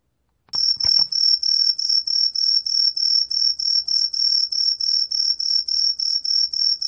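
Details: A green tree cricket begins after a faint knock. It gives a rapid, pulsing high whistle, about three throbs a second, kept up steadily with no pause.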